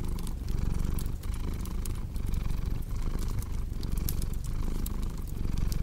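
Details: Steady low purring of a cat, its buzz breaking briefly at each breath about every second, over a background of crackling, popping fireplace sounds.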